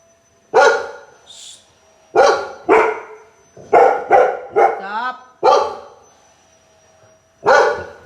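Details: Two adopted dogs barking indoors at a vacuum cleaner: about eight sharp, loud barks, some in quick pairs and others spaced a second or two apart, while the owner reassures them and tells them to stop.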